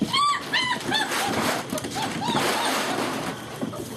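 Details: Young German Shepherd puppies getting frisky in play at Vom Barron's Pride; a few short, high arching whimpers early on, then scuffling and rustling noise with faint later whines and a person talking to them.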